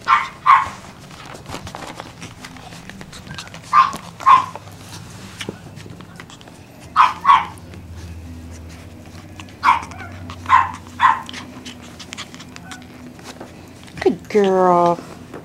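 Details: Peekapoo puppies giving short high yaps, mostly in pairs, with pauses of a few seconds between them, ending in a drawn-out, wavering whine.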